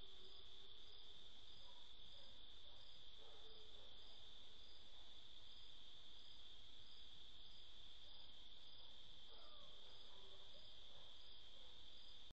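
Crickets chirp in a steady, high-pitched trill through the night, with faint pulsing notes above.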